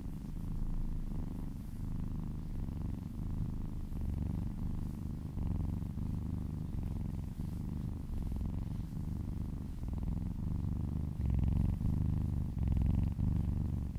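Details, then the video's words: Cat purring as it is massaged, a deep vibrating rumble swelling and easing with each breath, with light rustling strokes toward the end. "Cat massage ASMR | Purring kittens ASMR"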